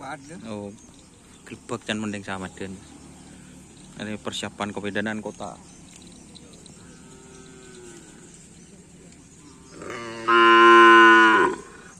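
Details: Cattle at a Karapan Sapi bull race training gathering at Lapangan Asemanis: men's voices talking in bursts, then near the end one loud, sustained, deep harmonic moo lasting about a second.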